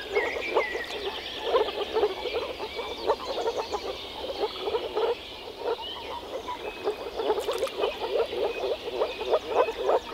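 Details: European frogs in the Czech Republic calling as a group, a steady run of low, pulsing croaks in overlapping bursts, briefly quieter midway, with thin higher rattles in the background.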